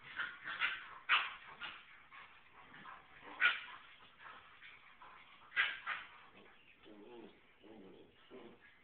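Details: Adult female Alaskan Klee Kai (Canis familiaris), mother of puppy Aspen, whines and yips in short, uneven bursts, upset that her puppy's scent was washed away.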